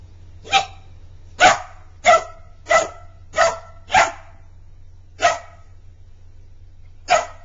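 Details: Playful barking from Magic, a Border Collie puppy, at his toy hedgehog: a series of sharp, bright barks roughly every half second to second, then a gap and a couple more, with low hum in the background.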